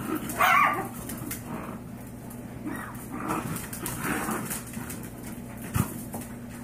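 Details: Yorkshire Terrier mother, five years old, fed up with her five-week-old foster puppies rescued from a backyard breeder; one sharp bark opens, followed by soft whimpering and low grumbling noises over a steady background hum.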